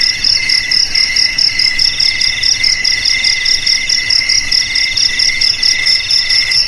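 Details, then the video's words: Continuous high-pitched cricket trilling, a bright metallic ring pulsing in quick chirps, with several layered tones holding steady throughout and nothing else audible. "Suara JANGKRIK Pengusir TIKUS"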